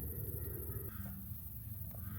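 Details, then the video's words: American bullfrogs give deep, low, droning bass-honk calls in the evening at a campsite at Camp Bullfrog Lake near Indiana Dunes, USA, on July 5, 2024, heard over campers' talk. "You hear them bullfrogs?"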